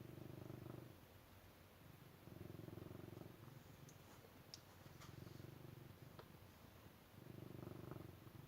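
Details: Purring cat: a steady low rumble rises in bursts about a second long, with quiet pauses between breaths and faint ticking noises in the middle.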